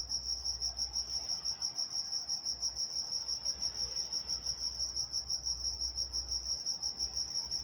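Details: High, rhythmic cricket chirps at night in Walnut, California, pulsing about three times per second without pause, with a soft low hum underneath.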